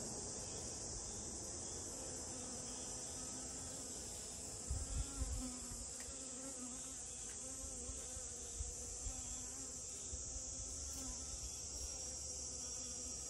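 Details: Honey bee at rose moss blossoms: a humming buzz with a clear steady pitch that swells and fades, set against a constant shrill insect hiss and a few brief soft thumps.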